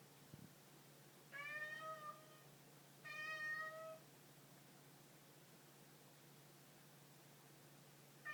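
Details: Cat delivering two back-to-back meows of similar length and pitch, followed by a long quiet stretch and the start of a third call at the very end, over a light hum.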